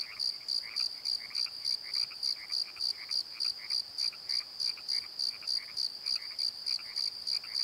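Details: Pulsing high cricket chirps, about three each second, at night in a Pozo valley bottom, mixed with frequent lower frog croaks that nearly match the crickets in prominence.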